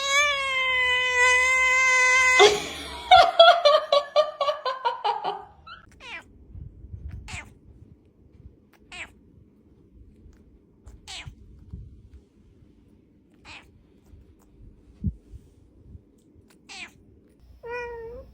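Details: Domestic cat letting out a long, steady meow that breaks into a stuttering, chattering run of short notes, then near silence with scattered clicks and one brief rising mew at the end.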